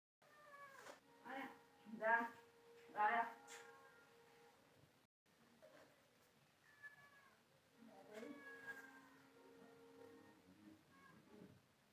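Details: Cat that wants to sleep meowing indoors, a series of short wavering meows with harmonic overtones, several in quick succession, then softer drawn-out cries after a pause, with faint speech in the background.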